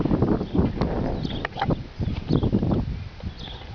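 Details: Young colt snoring in his sleep, dogs lying beside him, calm despite commotion; low, rough broadband breaths recur roughly every second or two, with faint higher noises over the top.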